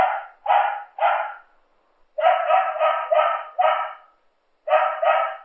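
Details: Dog barking in rapid bursts, three drawn-out barks, a short pause, five barks in quick succession, then two more, each bark strong and harmonic.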